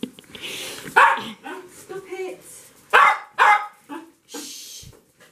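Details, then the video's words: Dog excited that its owner has come home: a few loud separated barks around the first and third seconds, with whining, grumbling sounds in between and a person speaking briefly. "Dogs knows when her owner comes back"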